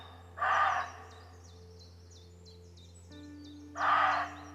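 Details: Roe deer barking, part of about fifteen minutes of calling between deer on a walk: two short, harsh, hoarse barks about three seconds apart, over quick descending bird chirps and a low steady hum.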